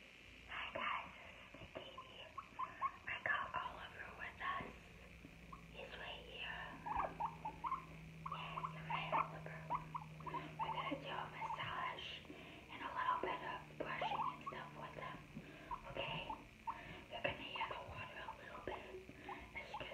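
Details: Guinea pig recorded up close for ASMR with no talking: a busy run of short squeaky chirps and soft chattering notes, some rising briefly, packed closely across the whole stretch over a low steady hum and faint rustling.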